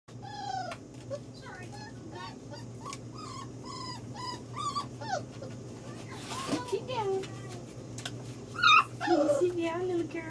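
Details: Five-week-old female yellow Labrador Retriever puppy: a run of thin, high whimpers and short whines repeated about twice a second, with a rustle midway, a sharper yelp near the end, and a woman's soft reassuring voice.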